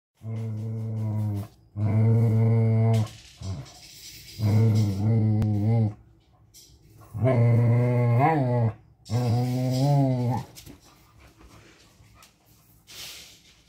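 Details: A Cocker Spaniel, in a little play fight, gives a series of low, rumbling, wavering growls, each a second or more, in irregular bouts with quieter gaps and faint background noise.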